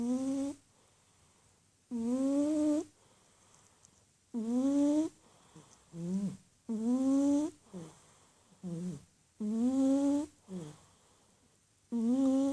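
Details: A sleeping cat, curled up in a ball and deep in sleep, snores steadily: each breath gives a nasal, whistling tone that rises in pitch over about a second, recurring roughly every two to two and a half seconds with quiet gaps between.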